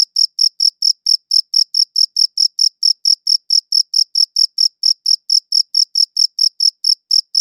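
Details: High-pitched cricket chirps, taken with a quality recorder, pulse rapidly around four times a second in a regular run of about thirty calls; nothing else is audible between them.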